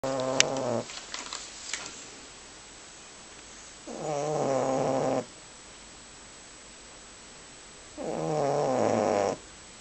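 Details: Male boxer dog asleep indoors, snoring rather loudly: a drawn-out, rough, tonal snore about one second long, returning roughly every four seconds, with quiet room tone between breaths.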